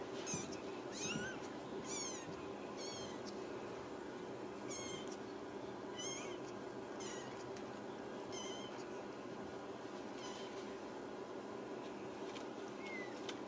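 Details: Home-raised Ragdoll kittens in central Kansas calling indoors: thin, high mews repeated about once a second, some rising and some falling, over a steady humming room background.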